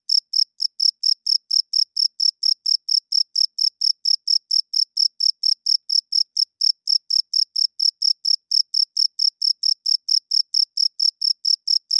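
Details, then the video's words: Male crickets chirping at night by rubbing their wings, a signal to attract females and claim territory; rapid, even train of high, ringing chirps at roughly four to five per second, no other sounds. "Cricket Chirping Sounds - Cricket klinkt 's nachts luid"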